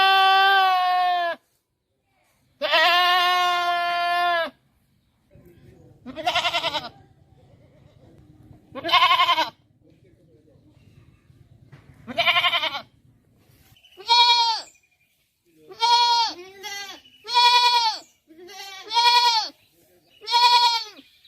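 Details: Goat bleating in a series of loud, wavering calls, long drawn-out bleats at first, then shorter quavering ones coming every second or so; a low rumbling background between calls.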